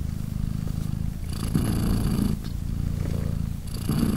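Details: Mother British Shorthair Polina purrs sweetly while her three tiny kittens, three days after birth, nurse; rhythmic deep rumbling with alternating breathy and smooth phases, a few faint clicks.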